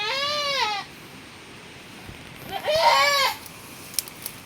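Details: Domestic goat, one of a herd where another birth has just happened in the rainy season, gives two separate quavering bleats about two seconds apart, the second louder and longer; faint background hiss and a few soft clicks.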